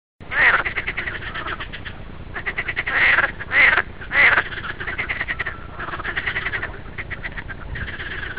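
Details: Green frog calling in rapid pulsed bursts, rattling croaks rising and falling in loudness, some louder volleys standing out over a steady background chorus of similar frogs.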